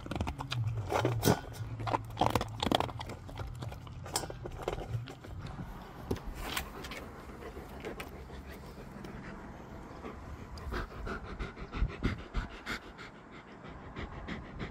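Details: Gorlock The Destroyer, a dog at play, gives low rumbling grunts mixed with sharp crunching bites early on, then fast, uneven panting of about three breaths per second that fades toward the end.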